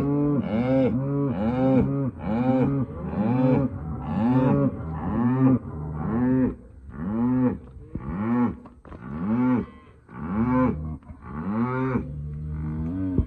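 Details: Hereford and Black Baldy cows with calves mooing in a fairly regular rhythm, about one call each second. The arching, full-toned calls fade slightly in the final seconds.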